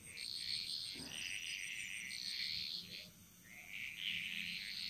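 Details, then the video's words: Bali jungle frogs singing together in Indonesia: long stretches of fast, buzzy croaking from overlapping callers, briefly easing off before resuming, with a high continuous insect tone throughout. "Frog Mantras - Relaxing Sounds Of Bali"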